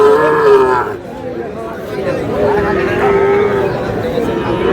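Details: Bull calves of the Sahiwal breed being bought and sold at Aftabganj market in Dinajpur at market opening, 10 March; two drawn-out, level moos, the first at once and another near three seconds, over constant crowd talk.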